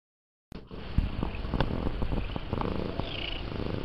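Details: Missy, a lynx point Himalayan cat, purrs close up while settling in to get comfy: a steady low rumbling throb with faint rhythmic pulses.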